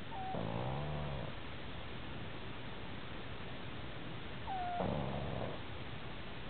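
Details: A sleeping pet pug snores in two rough, low, rattling breaths about four seconds apart, each opening with a short whistling squeak, over steady background hiss.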